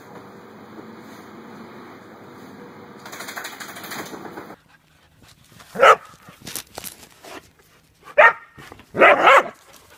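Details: Whippet dog at home in a funny compilation; steady broadband noise fills the first half, then three short sharp barks come after a quiet gap, the last a rapid double burst.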